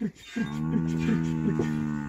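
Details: Loud, sustained lowing from Montafon livestock cattle, a deep, even tone with rich harmonics held for about two seconds and small pulsing swells along it.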